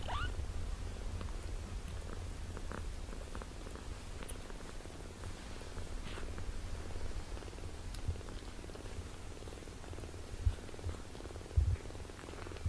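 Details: Two 17-day-old British Shorthair kittens learning to walk: a brief rising squeak opens, then a continuous low rhythmic purr carries on, with light scratching and rustling over it.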